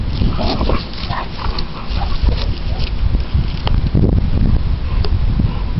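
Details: Two pet dogs, Dallas the American Bully and Sadie the Boxer, play tug with a rope; a steady deep rumbling growl-like noise fills the stretch, broken by short snappy bursts and occasional human speech.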